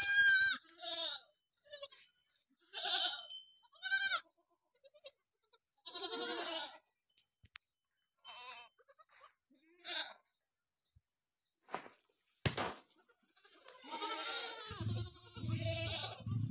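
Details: At a Barbari goat farm in Bidhuna, Auraiya, Etawah, Uttar Pradesh, several goats bleat in short, shaky bursts through the recording, some high and thin, some lower; a low engine-like rumble and a loud knock come near the end.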